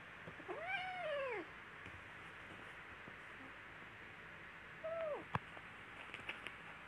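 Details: Kittens playing and fighting with each other: two thin, high, arching meows, the first long and falling at the end, the second short, separated by several seconds of quiet room hiss with faint clicks.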